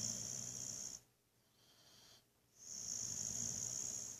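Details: Boxer dog Buddy deep asleep, snoring: a raspy hissing breath, a short hushed pause, then the next drawn-out wheezy snore.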